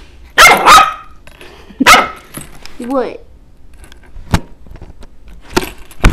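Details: A pet puppy play fighting indoors gives two quick sharp barks and a third bark in the first two seconds, then a short wavering whine, over a person talking, scattered clatter and knocks.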